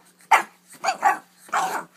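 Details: Four-month-old rescued Boston Terrier puppy playing wildly on a bed at bedtime while chasing his own tail, gives three short, rough, growly barks in quick succession over two seconds, indoors.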